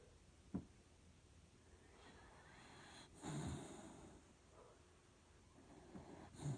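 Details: Dachshund snoring: a short sharp snort, then a gravelly, rattling snore around the middle, with softer breaths and a final snort at the end, all against a quiet background.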